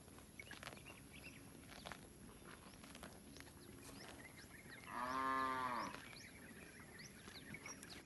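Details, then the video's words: Village cattle grazing freely in a rice paddy; after quiet field ambience full of small bird chirps, one strong, level moo sounds for about a second, slightly falling at the end. "suara sapi moo"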